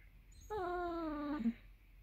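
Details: Millie, a hungry Basset Hound, whines for her dinner inside a small room: a single steady nasal whine held nearly a second, pitch slowly sinking, ending in a brief low catch.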